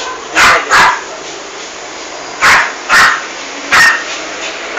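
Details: Female toy poodle indoors in a bathroom while attacking and killing a big rat; five sharp, harsh yapping barks, two quick pairs and a single, separated by quiet gaps over a low steady hum.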